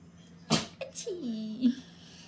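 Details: Dog sneezing when happy at the prospect of going out for a walk, indoors; a sharp burst of a sneeze followed by a short whiny, falling vocal note, with a person speaking softly.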